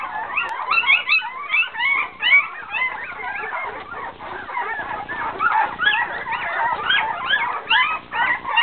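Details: A litter of poodle puppies, hungry and waiting for milk from their mother, keeps up a dense chorus of shrill overlapping squeaks and whines, wavering in pitch and swelling in loudness throughout.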